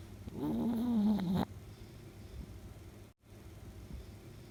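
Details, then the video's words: A sleeping 10-year-old female Chihuahua-Shih Tzu mix gives one short, wavering, moaning snore lasting about a second, followed by quiet room noise. "Small Dog snores like a Grown Man"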